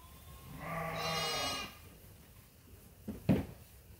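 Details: At Ewetopia Farms, a sheep waiting for feed during daily chores lets out one hoarse, drawn-out bleat lasting about a second, followed by sharp knocking clatter.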